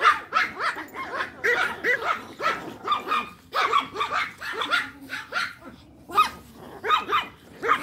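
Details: Pack of toy Pomeranians playing fetch; sharp, high yappy barks fire rapidly and overlap, several per second in excited bursts, with brief lulls between volleys.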